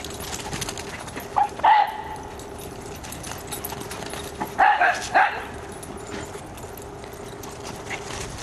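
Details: Dachshund visiting her sister, recorded on 12 December 2022; two short bursts of high, strained yipping whines, one early and a doubled one midway, over a steady low hum.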